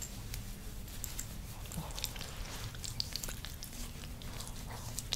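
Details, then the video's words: Frankie, a pet dog, getting scratches and belly rubs, makes wet licking and mouth sounds: irregular soft clicks and smacks scattered through the clip over a steady low rumble. "DOG ASMR | 7 Minutes with Frankie 🐶✨( scratching, licking/mouth sounds, belly rubs )"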